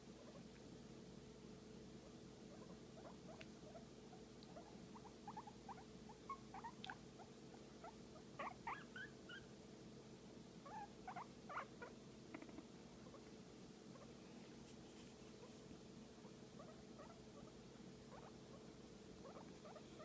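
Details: Pet guinea pig being massaged, letting out scattered brief squeaks and chirps, some in small clusters, with a low continuous rumble underneath in a quiet room.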